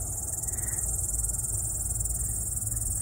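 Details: Cricket chirping loudly at a summer cottage in late August: a continuous, very high, finely pulsed trill that never pauses, over steady low rumbling background noise.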